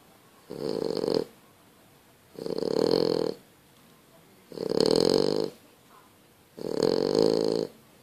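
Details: French Bulldog snoring very loudly while asleep indoors: four long rasping snores, each lasting under a second, repeating about every two seconds with quiet breathing gaps between.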